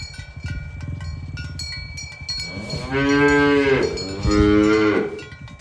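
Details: Cows walking in a herd toward their pen on a morning village road; two drawn-out moos follow each other closely, over clinking cowbells and a steady low rumble of footsteps.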